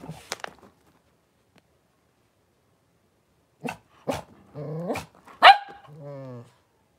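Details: Blenheim Cavalier King Charles Spaniel puppies, a litter of five born at New Year, in a puppy pen with their mother Paris in January 2023; sharp clicks, then several short yelps and rising, harmonic whines in quick succession.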